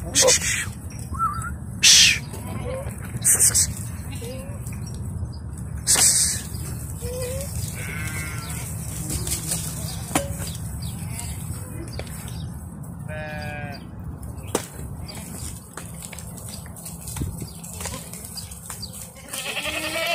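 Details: Herd of sixty Bishi goats, thirty of them kids, kept on the coast north of Al-Qunfudhah; short quavering bleats come now and then, several animals calling irregularly, beneath a constant low rumble with sharp bangs early on.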